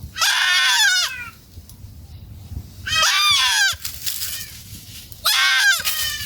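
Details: Family goats eating in a forest give three loud, harmonic bleats, each about a second long with a wavering, falling pitch, spaced roughly every two seconds, with quiet rustling between calls.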